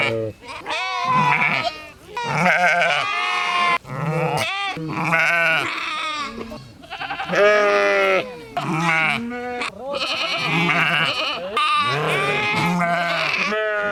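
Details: Several sheep bleating almost continuously, with overlapping calls of varied pitch, some low and steady and others higher and quavering, with barely any silence between them.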